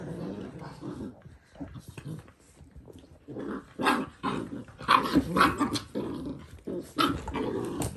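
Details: Puppies growling indoors during their last few days together: rough, grumbling growls that build into louder, harsh bursts and snarls in the second half, with a faint human voice nearby.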